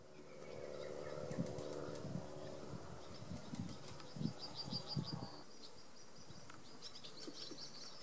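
A European hornet gives a low, droning wing buzz with steady overtones, broken by soft thumps.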